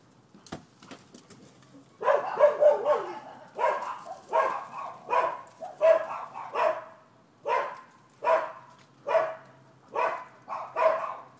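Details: Neighbours' dogs, recorded 12/7/15 as nuisance barking: after a sharp click, a steady run of loud, rasping barks repeated about once per second for nearly ten seconds, with a few fainter yaps at the start.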